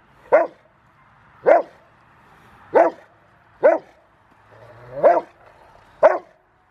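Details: Male Rottweiler River v Schwarzerwald, five years old, in bite work on January 20, 2020, training for his ZTP on February 16; six forceful, evenly spaced barks, each short and punchy, in an otherwise quiet background.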